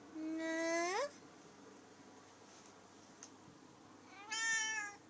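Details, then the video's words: Talkative female pet cat meowing: two separate short meows about three and a half seconds apart, each sliding upward in pitch, with quiet room tone between them. "Talking and yawning cat"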